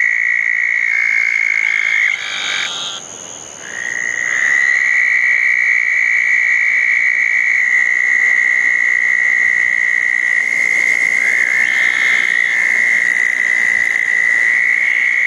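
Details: Several southern toads calling around two small ponds on a rainy June night in 2014 after a thunderstorm; sustained high trills drop out for about two seconds, then resume and carry on steadily, with short higher buzzes from other callers.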